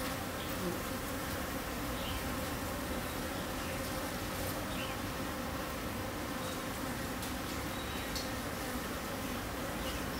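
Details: Continuous droning hum of dwarf honey bees, Chiang Mai, Thailand, holding an even loudness throughout, with a few faint short chirps and clicks over the buzz.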